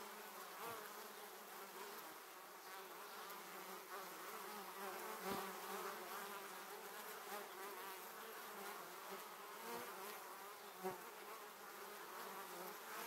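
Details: Many honey bees flying close past a camera on their way to their beehive, a dense, droning hum with overlapping wingbeat tones rising and falling as individual bees pass, with occasional sharp clicks.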